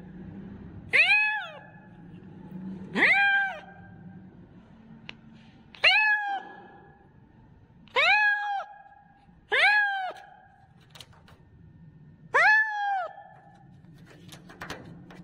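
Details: Loud kitten meowing in a series of seven short, bright calls spaced one to three seconds apart, each sharply rising then falling, with faint clicks and low room hum between them.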